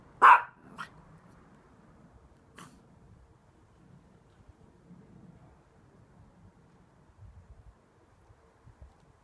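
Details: Rescue Chihuahua giving one sharp, loud high bark, followed by two fainter short barks about half a second and two seconds later, then a quiet room with faint low rustling.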